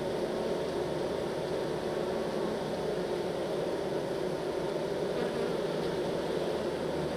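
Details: Honey bees being moved from a nuc box into a hive, their massed wingbeats forming a dense, steady low hum without breaks throughout.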